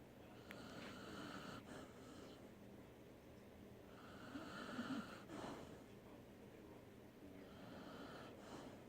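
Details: A sleeping dog snores indoors, drawn-out raspy breaths with a buzzy, tonal edge, each lasting about a second and a half and returning roughly every three seconds, over a steady low room hum.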